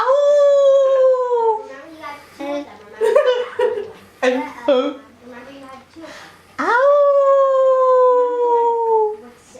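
A wolf gives two long, smooth howls that slide slowly downward, with a person talking between them.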